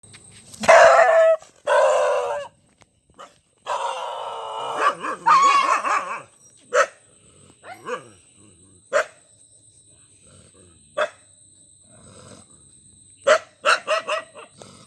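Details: Dog barking in irregular bursts: loud, rough, harsh barks early on, then single sharp barks spaced a few seconds apart, ending with a quick cluster, over a faint steady high electronic whine.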